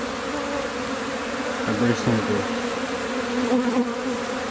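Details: Africanized honey bees swarming in an old outhouse in Campbelville, Georgetown, Guyana, during removal of the swarm; a dense, steady, low buzzing hum fills the clip, with brief tonal voice-like sounds near the middle.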